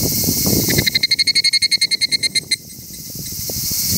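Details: Higurashi cicada song: a quick run of about fifteen ringing, tonal pulses packed into under two seconds, steady in pitch, then breaking off abruptly, leaving a constant background hiss and a faint low rumble.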